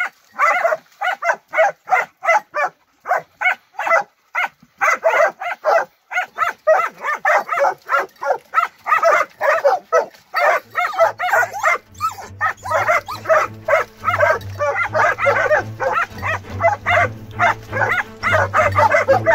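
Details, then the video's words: Transylvanian Hound pack, young dogs training on wild boar in midsummer, barking in fast repeated bursts; halfway through a low steady hum enters beneath the continuing dense barking. "Κυνήγι Αγριόχοιρου: Transylvanian Hound Dogs - Training Weekly Highlights"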